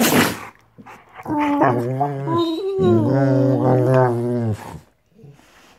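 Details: Two female Rottweilers playing on a bed in the morning; drawn-out vocal grumbling with shifting pitch, rising into a wavering moan, following a noisy burst at the start and fading into quiet rustling.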